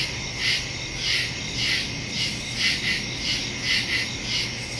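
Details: Crickets in the woods at night, recorded September 2, 2023 on a phone with a stereo microphone: a dense high chorus pulsing in soft swells about once a second over a steady shrill band.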